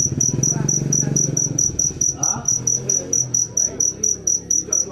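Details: High cricket chirps repeating roughly twice per second over a busy low background of murmuring, knocks and indistinct sounds.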